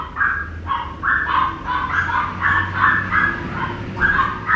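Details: Papillon puppy named Lucky giving a run of high, short yips and squeals, each pitched note repeated several times a second in uneven bursts.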